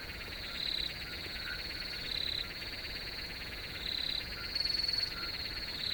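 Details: Several crickets singing in a field, a continuous high buzzing chorus punctuated by repeated short, rapid trills about every one to two seconds, with faint lower chirps beneath.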